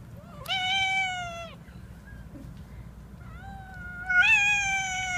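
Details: Nursing mother cat with kittens: two loud, clear meows about three seconds apart, the first long and level, the second swelling upward at its end, in a quiet room.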